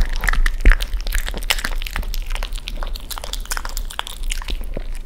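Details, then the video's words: A Cavalier King Charles Spaniel eats raw chicken in a small room, with irregular wet crunches and cracks of bone about three or four per second. "강아지 리얼사운드 ASMRㅣLet's hear the sound of a dog eating chicken."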